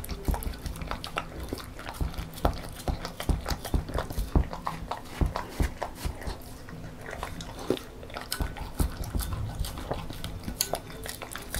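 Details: A female beagle born December 2016 eats homemade banana porridge noisily, with wet smacking, lapping and chewing sounds in quick irregular bursts.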